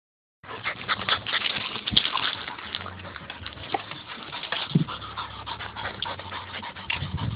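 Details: Dog panting while puppies climb over their dad: rapid, breathy, rasping huffs run almost without pause, with scuffling and shuffling noises from the playful pups mixed in throughout.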